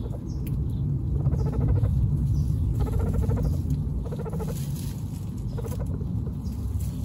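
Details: Pet baby guinea pigs about one week old, Snow, Pistachio and Pumpkin, from a group of 29. Short bursts of quick, buzzy, pulsed chutters break off and restart against a heavy low rumble of handling.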